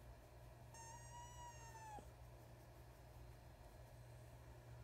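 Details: A female rescue fox kit gives one drawn-out, nasal whine that holds steady, then drops sharply at the end, showing approval while getting belly rubs.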